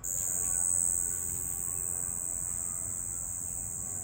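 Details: Cricket at night: a continuous, very high, steady shimmering trill that holds unbroken throughout, over faint low background hum.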